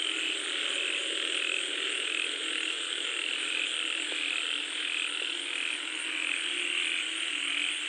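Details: Many frogs call at once while rain falls, in a thick, unbroken chorus of rasping croaks blending into a constant drone, with a soft hiss, likely rain, beneath throughout.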